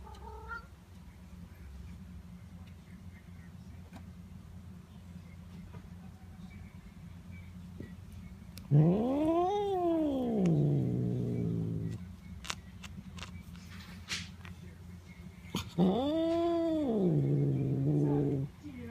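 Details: Pet cat vocalizing while being petted: two drawn-out, arched meows with a rise then fall in pitch, the first around nine seconds and the second near sixteen seconds, over a quiet, low background hum.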